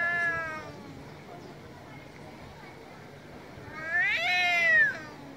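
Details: Male domestic cats on a street in Istanbul, Turkey, meowing very loudly: a drawn-out harmonic yowl at the start, then a quieter stretch, then a second loud wavering meow that rises and falls near the end.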